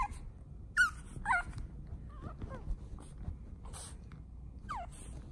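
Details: Duke, a pet pug, gives short, high whimpers: a few sliding whines that rise and fall, spaced across a few seconds over a low indoor hum, with soft scuffling between them.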